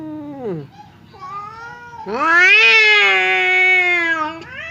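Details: Domestic cat squaring off with another cat across a partition: a falling moan, then a loud harsh rising yowl held for two seconds, bright and strained, before breaking off.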